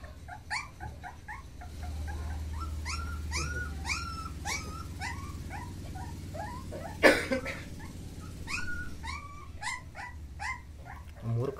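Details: Mudhol Hound puppies at Mudhol, Bagalkot district, Karnataka, whimper in a steady run of short, upward-sliding squeaks, several per second, with one loud knock midway and a low background drone throughout.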